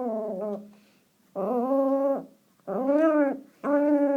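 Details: Teacup Chihuahua grumbling out the window with gremlin-like noises: three sustained, whiny, slightly rising and falling growls about a second long, following a softer wavering opening note.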